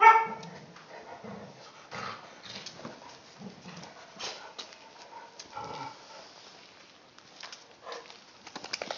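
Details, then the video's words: Tibetan Mastiffs (Do Khyi) having fun at playtime: a harmonic whining yelp opens, followed by short broken vocal bursts and scuffles, with a few sharp sounds toward the end. "Playtime for our Tibetan mastiffs"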